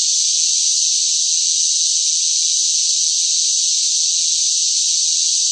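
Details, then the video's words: Cicadas shrilling in hot summer weather: one continuous, harsh, high buzz that never pauses or changes in loudness. "뜨거운 무더위 속 시끄러운 매미 울음 소리"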